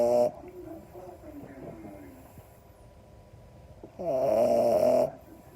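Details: A napping French Bulldog puppy snores in loud, raspy bursts with quieter breathing between.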